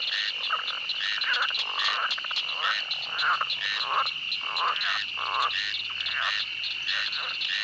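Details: Frogs calling in a swamp, heard amid wildlife while walking through: a dense chorus of short, rough croaks repeated irregularly, several per second, over a steady high insect drone that runs unbroken throughout.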